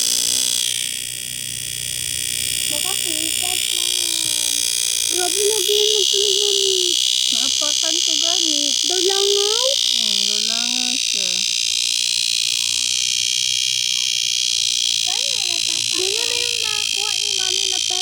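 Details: Cicadas in summer: a continuous, dense high-pitched buzzing drone that holds steady for the whole stretch, with a person talking over it throughout.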